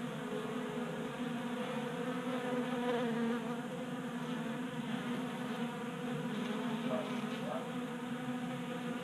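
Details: Several honey bees, kept active by late winter heat in Colorado, feed at a table-top 3D-printed bee feeder in a garage; overlapping wing hums form a dense, even drone with slight wavering in pitch.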